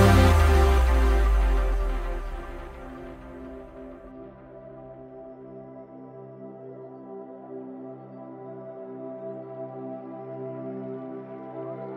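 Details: Soft ambient music with sustained, slowly fading tones plays alone, with no animal sound heard.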